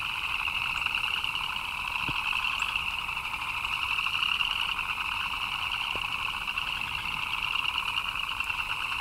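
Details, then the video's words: Rainy-weather frog chorus, countless chirps merging into an even, ringing drone with a high bright layer and a softer lower layer; two faint isolated taps break through. "Frogs chirping in the Rain"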